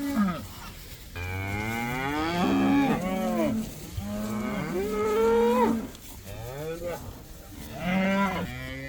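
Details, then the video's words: About 80 cows allowed outside for the first time, calling in a run of overlapping drawn-out moos, some bending upward in pitch, roughly one every few seconds, with several animals mooing at once. "These cows are allowed to go outside for the first time! They love that!!"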